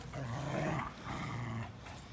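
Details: Two dogs, Linus, an American Pit Bull Terrier, and Buddy, a blue Belgian Malinois cross, playing together on April 1, 2019; two low, rumbling growls, each close to a second long, separated by a brief pause.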